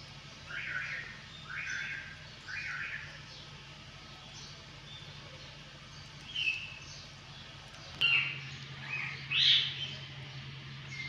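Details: Hungry kittens meowing for breakfast: three short high, arched mews about a second apart, then after a pause a few sharper, brighter mews near the end, over a steady low hum.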